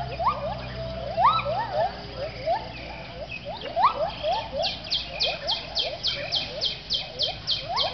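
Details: Gibbons at sunrise at a wildlife rescue centre in Thailand, dawn chorus: rising whooping notes repeated in quick bursts, overlapped by a fast, regular series of high chirps toward the end.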